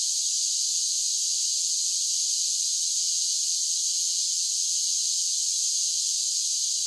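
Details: A summer cicada song: a loud, high, sizzling buzz that runs without interruption at one steady level. No pulses, gaps or other sounds break the continuous insect drone.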